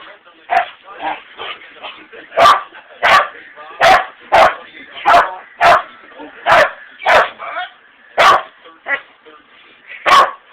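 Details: Very large pet dog barking loudly and repeatedly, about fourteen sharp barks in quick succession, roughly every half second to second, with softer grumbling sounds between them.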